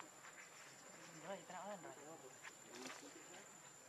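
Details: Pitiful cries of baby monkey Leo, hungry and begging its mother for milk: wobbling, undulating whimpers in a short run, with a steady high electronic whine in the background.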